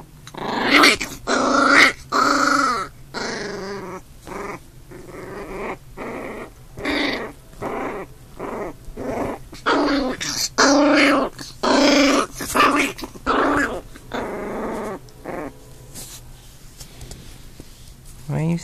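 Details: Two puppies, an older big brother and a newborn, fighting: rough, harmonic growls and snarling yips come in short bursts about once a second, with brief pauses between flurries and no other clear sounds.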